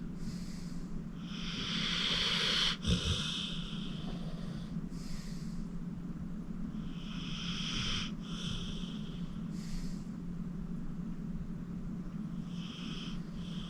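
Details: Deep-sleeping 14-year-old pit bull Acorn, adopted from the Cuyahoga County Animal Shelter, snores in hoarse, hissing breaths. Several come in uneven succession, the first loudest, over a continuous low hum.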